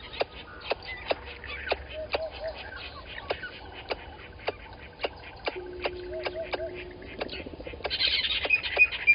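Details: At Gowrie dam in Djuma Game Reserve, Sabi Sand Wildtuin, South Africa, a squirrel alarms at a water monitor lizard, 10/04/20 at 11:45: rapid sharp chucks several per second, brief tonal notes between, then a burst of hissy higher sound at the end.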